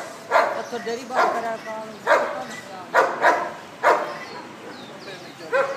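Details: Deep, repeated barks from a huge Bull Terrier, about five sharp woofs at roughly one per second, steady and evenly loud, with some faint squeaks in the background near the end.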